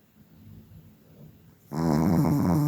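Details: Kira Rolexovna, a Chihuahua from Tver, lets out one loud, drawn-out, rattling snore after a stretch of soft breathing in a quiet room.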